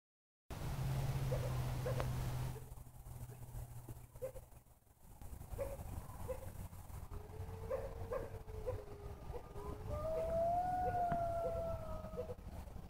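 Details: At Heritage Park Zoological Sanctuary in early-morning daylight, a distant Mexican gray wolf gives a drawn-out howl that starts low, slides upward, then holds a steady mournful note, after a low mechanical rumble fades into background hiss.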